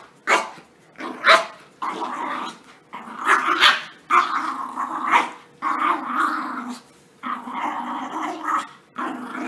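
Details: Puppies romping together in playtime right after their bath, giving throaty rough growls in bursts of about a second, broken by sharp yips and short barks, with brief quiet gaps between bouts.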